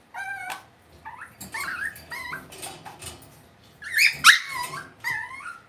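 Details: Whining Cavalier King Charles Spaniel puppies raised indoors in a home pen, giving a steady run of high, harmonic, bending whimpers and short yips, several overlapping, with a sharp squeal cluster partway through.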